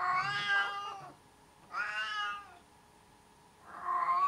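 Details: Cat giving three long, loud, whining meows in a small quiet room, each strongly harmonic and wavering in pitch, the last one rising at the end, with near silence between calls.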